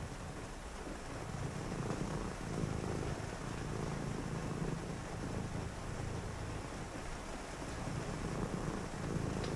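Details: Deep, continuous purring from a pet cat during a rainy night, the throbbing rumble rising and falling with each breath while soft rain patters steadily behind it.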